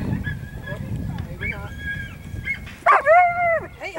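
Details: Whippet at a Canadian Amateur Racing Association racing event: high, drawn-out tonal whines and yelps, some held level then dropping, loudest near the end, over low crowd rumble and a person talking.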